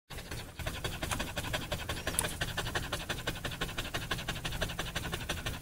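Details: Dog panting fast, with quick breathy huffs repeated about three times a second in a steady run, over a low background rumble.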